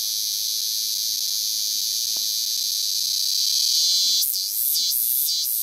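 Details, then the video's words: A cicada singing freely outdoors in nature gives a steady, shrill, high-pitched buzzing drone. "Canto da cigarra"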